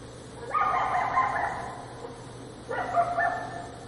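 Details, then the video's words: Coyote howling in two bursts: a long, quavering, slightly falling howl, then after a pause a second shorter howl with a brief upward break; faint constant hum underneath. "Coyote sounds | Coyote Howling, Coyote barking"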